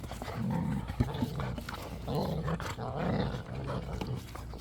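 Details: Pet dogs at play in a large, natural back yard growl: low, rumbling, rough bursts rise and fall in several waves over a few seconds. The household includes three pit bulls, a Belgian Malinois and a puppy.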